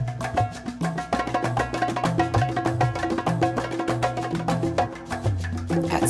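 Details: Lively salsa music with dense percussion and a repeating bass line throughout, and no animal voices.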